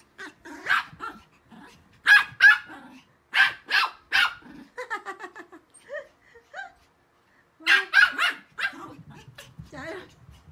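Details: Three Pomeranians, including Teddy, play, run and chase each other, giving sharp, high, yappy barks in quick bursts.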